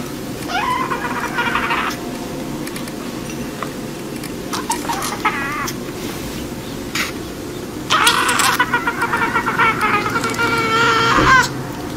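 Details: Kitten eating watermelon, meowing repeatedly: short wavering cries near the start and middle, then a longer run of harmonic-rich mews late on, over constant low-frequency background noise.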